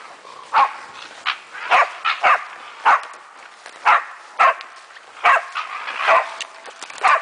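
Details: A female German Wachtelhund barks in sharp, bright bursts at uneven intervals of about a second while having fun with a raccoon dog.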